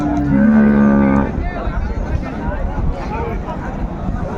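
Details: Dairy cows and calves of an improved breed at Raniganj cattle market, Dinajpur, held on a Thursday; a long, low droning moo for about a second, followed by crowd chatter and market noise.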